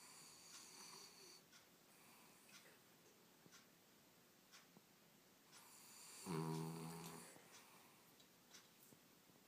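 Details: Bellmont, a male pet dog known for unusually loud snoring, asleep indoors: one rough, buzzing snore lasting about a second rises out of quiet room noise, with faint rustling and soft background sounds before it.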